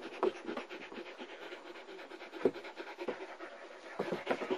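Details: German Shepherd puppy girl from a Florida kennel litter born June 2009, recorded in November 2009: steady, hoarse panting in short, even breaths, with a few sharper thumps and rustles.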